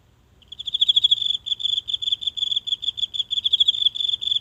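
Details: One insect singing nightly in the grassy patch of a tiny Japanese home garden, phone held close: a high, ringing trill of quick pulses starts half a second in and continues steadily, with slight pauses, to the end.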